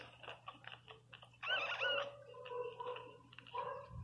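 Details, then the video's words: Teco, a newborn Pinscher pup, gives a sharp rising-and-falling squeal midway. Softer, lower whimpers follow in short repeated bursts, with a constant low hum beneath. "Som de cachorro Pinscher 0 ressenacido chorando"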